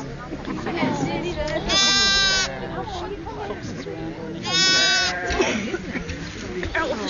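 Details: Freshly born lamb, a twin, taking ages to stand and walk; two loud nasal bleats about three seconds apart, each roughly half a second long, with continuous human conversation in between.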